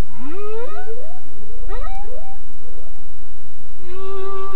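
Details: A humpback whale sings a phrase of upswept, harmonic whoops climbing in pitch, closed by a sustained, even moan over deep sea rumble; hydrophone 900 m deep, 30 km offshore in Monterey Bay.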